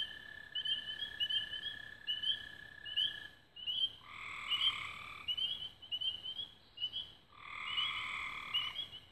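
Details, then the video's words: Frogs singing at dusk near Raven Rocks, Belmont County, Ohio, on 24 May 2016: short trilled chirps repeated roughly every half second, overlapped by longer buzzy, bleating notes around four and seven seconds, with a steady high tone throughout. "Frogs At Dusk Near Raven Rocks Belmont County Ohio"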